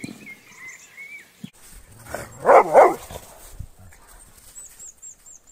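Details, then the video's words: A dog in a Brazilian compilation of funny dogs gives two loud, broad barks about a third of a second apart near the middle. Short high squeaks and chirps sound before and after. "Som do Cachorro Cachorro latindo"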